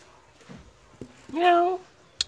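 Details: Medium Persian cat indoors meowing to beg for food right after being fed, acting almost angry; a single half-second meow rising then holding steady, with a few faint clicks and soft knocks around it.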